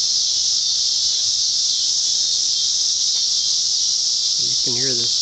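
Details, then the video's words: A cicada in summer in Sugar Creek, Missouri, where cicadas can be deafening, gives a loud, steady, high-pitched buzz, with a man's voice briefly at the end. "You can hear this cicada"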